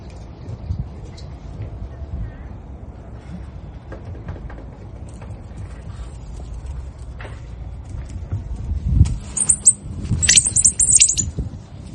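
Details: South American coati (Nasua nasua) screaming: after a long stretch of low rumbling background noise, a cluster of sharp, very high-pitched squeaky bursts erupts near the end, several short shrill notes in quick succession.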